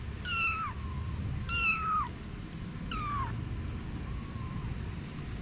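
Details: Cat mother Anna alongside her kittens, three bright downward-sliding meows in quick irregular succession followed by a faint softer one, low background rumble underneath throughout.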